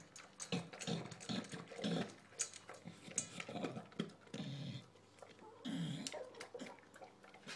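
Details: English bulldog Shaft, newly adopted, at his dinner bowl: low grunting, snorting breaths and wet chomping in short bursts, some sounding like a wheezing growl, in a small indoor room.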